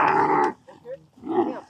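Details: A tourist dromedary camel in the Agafay Desert, Morocco, is described as disobedient and gone crazy while handled for rides. Two loud, harsh, strongly harmonic groaning bursts are separated by a short quieter gap.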